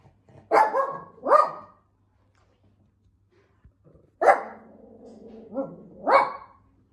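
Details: Shih Tzu dog at home, playing and showing tricks; loud sharp barks come in two pairs, two quick yaps near the start, then after a pause a longer yelping bark and another bark, with a low hum under them.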